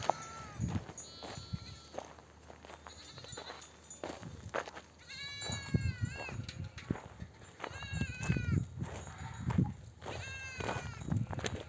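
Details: Sheep ewes in a nomadic flock return from desert pasture with oak trees and give wavering, quavering bleats, several voices overlapping, to call their lambs to nurse.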